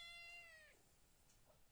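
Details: A cat that wants to sleep while its companions are all outside gives one drawn-out, high meow that falls and fades within a second, followed by quiet room tone indoors.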